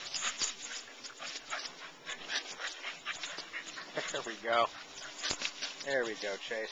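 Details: Keeshond playing with a neighbourhood Rottweiler friend outdoors. Scuffling, rustling play noises throughout, a short whiny vocalization near the middle and another near the end, with a person speaking softly in the background.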